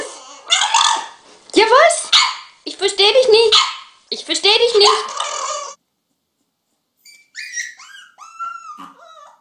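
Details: Puppies barking in rough, broken bursts, four loud clusters over about five seconds, followed after a pause by thin, higher yips and whimpers, with a human voice mixed in.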